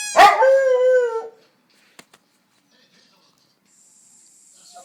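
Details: Single dog vocalisation: a sharp yelp that flows into a short, steady, slightly falling howl lasting about a second, then near silence with a couple of faint clicks and a faint high hiss.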